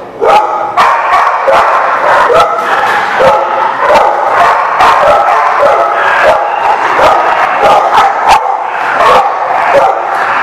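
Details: A group of dogs keeps up continuous barking, recorded 28 June 2019. Harsh barks and yelps overlap throughout, so single calls rarely stand apart from the noisy chorus.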